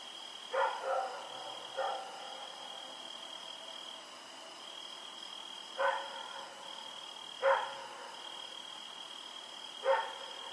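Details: A dog named Rex, running around at night on 7 October 2018, barks about five times: short harsh barks, some in quick doubles, spaced one to four seconds apart, over a steady high insect-like drone.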